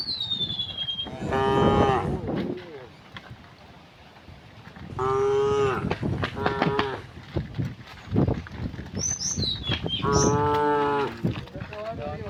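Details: Afternoon herding of tame cows through a village to the pen; three separate moos, each about a second long, over rumbling footsteps and handling noise, with faint high bird chirps in the background.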